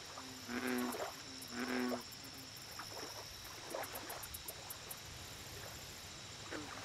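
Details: American bullfrog at a lake giving two deep, droning harmonic croaks about a second apart, each lasting half a second, over a steady high insect hum with faint scattered chirps from other frogs.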